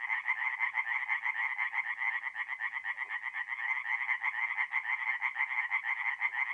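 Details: Tree frogs in full song by a North-East Italian forest pond on a mid-April night. A loud, continuous chorus of harsh, rattling croaks throbs steadily at about two pulses per second.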